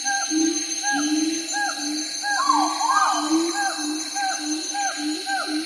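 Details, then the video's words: Siamangs calling: a chain of short hooted notes, each swooping upward, repeated about twice a second, with a louder rising whoop near the middle, over a steady high-pitched insect-like drone. "Siamang Monkeys Ambience Sound Effect"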